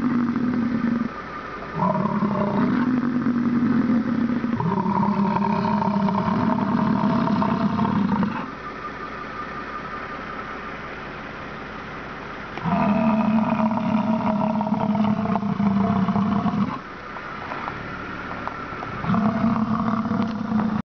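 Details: A bison repeatedly grunts in long, even, growling bellows lasting three to four seconds each, spaced by brief lulls of low background rumble.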